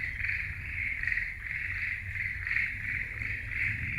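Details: Frogs calling in a forest: a steady, buzzy mid-pitched chorus that pulses about twice a second, over a low background rumble.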